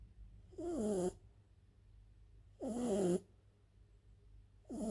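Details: A French bulldog snores while asleep, giving harsh, droning breaths with a wobbling tonal whine, repeated roughly every two seconds, with near silence between them.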